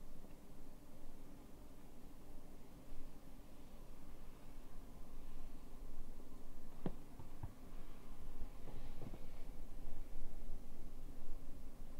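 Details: Quiet indoor room with a steady low hum and a few soft clicks and rustles; no animal voice is heard.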